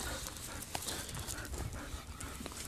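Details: Quick rhythmic panting from Tootsie, an adopted female former breeder dog from Heart to Heart Rescue. Short airy bursts follow one another closely, with low thumping and handling noise underneath.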